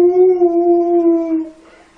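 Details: Alaskan Malamute puppy, playing with kids, gives a single smooth howl held almost level for about one and a half seconds, sagging slightly before it fades away.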